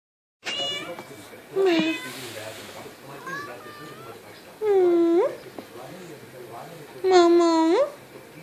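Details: A Turkish Van kitten gives several drawn-out, rising-then-falling meows while rolling over, asking to be petted as it does every day.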